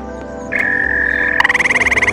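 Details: Grey tree frog found while camping, giving a short melodious trill of fast, evenly spaced pulses, preceded by a steady tone, with background music throughout.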